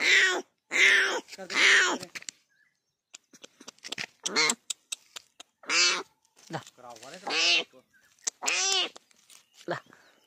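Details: Leopard (Panthera pardus): a newborn cub, separated from its mother, strayed from the forest into a settlement near Pali, Rajasthan. It calls to her with repeated high, harmonic mews that rise and fall.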